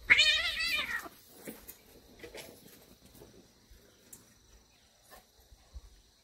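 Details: Warehouse kitten from a cat family at morning play gives one loud, high, quavering meow lasting about a second, followed by quiet scuffling and small taps.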